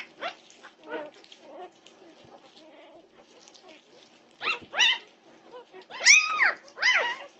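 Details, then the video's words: At 2:30 am on June 8, 2021, Norwegian Buhund puppies fuss in the night: faint scattered whimpers at first, then a handful of loud, piercing arched yelps near the end, each lasting under half a second. "Puppy Pandemonium at 2:30am! Norwegian Buhund Puppies"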